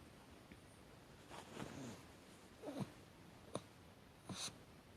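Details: Hatchi, a pet Chihuahua, recorded indoors on 8 March 2020 in a fit of sneeze-like snorts it cannot stop. Four short, quiet snorting bursts come about a second apart over a faint background hiss.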